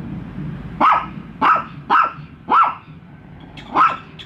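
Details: Bico and Faith, two pet dogs, barking at an unfamiliar toy dog; five clipped barks in quick succession, slightly rising then falling, over a low background rumble.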